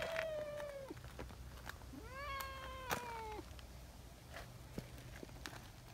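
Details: Two tabby meows from Nyahha, a community cat, after eagerly seeking affection: the first is level, then drops at the close; the second, a second later, swoops upward and trails off. Faint clicks and low background hum.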